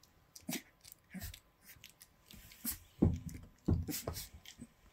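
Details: Indoors at 10:32 on 29 December 2019, a litter of three-week-old Llewellin Setter pups wrestle and paw at each other; two short harmonic growly yelps stand out over scuffling, clicks and bedding rustle.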